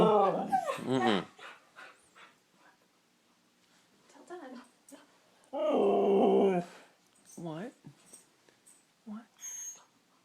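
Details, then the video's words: Siberian Husky Nixie, kept indoors, vocalizing to coax treats: wavering, yodel-like whines and a sustained harmonic moan, broken up by a person's questioning speech between calls. "Our huskies talking like they do"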